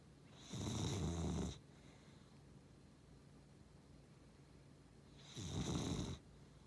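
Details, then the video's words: Sleeping Beagle and Cavalier cross dog snoring: two loud, rasping low snores about four seconds apart, each lasting roughly a second, with quiet breathing between them indoors. "いびき犬 ビーグル✖️キャバリア"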